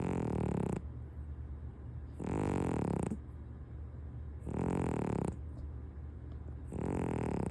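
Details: Sleeping domestic cat named Punk, sprawled on a lap over a kotatsu futon, lets out heavy snores: four loud, deep, rattling inhalations about every two seconds, each lasting nearly a second.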